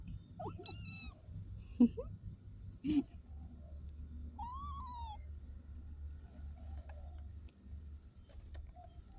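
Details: Street cat giving a single arched meow midway, with brief human voices and bumps before it.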